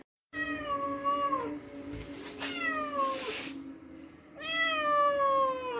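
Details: A cat calls out after catching a mouse, giving three long meows that slide down in pitch, the middle one shorter and mixed with brief rustling noises, against a constant low background hum.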